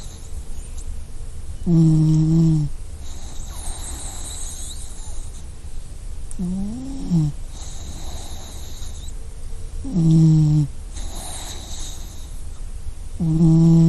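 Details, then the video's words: Sleeping dog snoring: low, droning snorts with a buzzy harmonic edge recur roughly every four seconds, separated by soft breathy exhales, over a steady faint hiss. "Dog Snoring Sound Effect"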